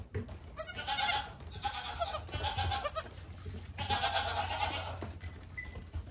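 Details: Young goat kid giving insistent, quavering bleats: a cluster of shaky cries early on, then a longer tremulous bleat, over light low background noise.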